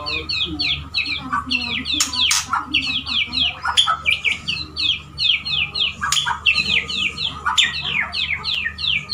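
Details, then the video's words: Male white-rumped shama, a pet, courting a female pours out a fast, high, continuous stream of chattering, sweeping notes, punctuated by sharp clicks and knocks, over a low hum. "Murai Jantan merayu Betina bikin nyesek"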